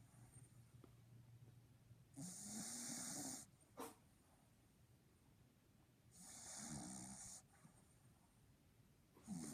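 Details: Little Papi, a Boston Terrier, snoring like an old man: slow rhythmic breaths, each a raspy, hissing snore over a second long with a fluttering low rattle, repeating about every four seconds, plus a brief sharp snort.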